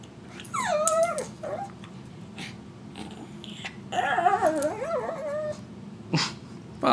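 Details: A pug dog with a very large tongue gives high, wavering whines and whimpers in two bouts, the second longer and rising and falling in pitch, with a short sharp sound near the end and quiet room noise.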